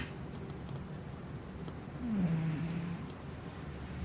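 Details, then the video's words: Ruthie, a pet cat, snoring: a soft, low rumble runs steadily through the quiet room and swells for about a second midway with a deeper, slightly falling drone, then settles back to a faint hum. "My Cat Ruthie Snoring"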